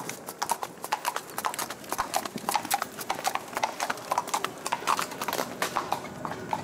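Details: Hoofbeats of a bay Tennessee Walking Horse ridden by a young rider on an East Texas trail ride at Marshall, Texas: steady, quick clip-clop knocks, about two per second, continuing throughout over light background noise.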